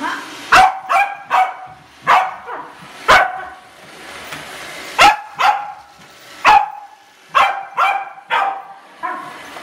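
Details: Corgi puppy meeting a Roomba robot vacuum for the first time; sharp, high barks in bursts of two or three, roughly a dozen over ten seconds, in a quiet indoor room.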